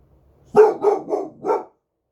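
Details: Boxer dog, one year old, barking at night: a tight run of four rough, mid-pitched barks, the first loudest, with a short gap before the last.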